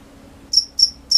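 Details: Cricket at night: a silent half second, then three quick high-pitched chirps spaced about a quarter second apart.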